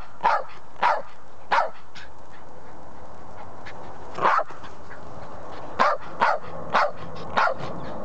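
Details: Chip, a Patterdale Terrier, barking for his ball even though it lies right next to him; short sharp barks in loose bursts, three near the start, one mid-way, then four in quick succession, over steady background hiss.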